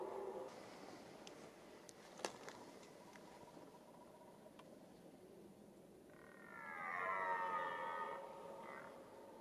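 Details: During the red deer rut, a stag gives a single drawn-out, groaning roar with a layered harmonic sound near the end, after several seconds of faint rustling and a sharp click.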